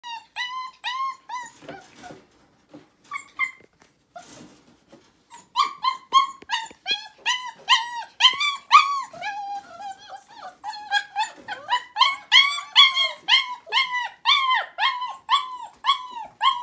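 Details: Four-week-old puppies, litter-box trained, indoors: a rapid stream of high, harmonic whimpers and yips, each cry bending down slightly, repeated about twice a second with a short lull near the start.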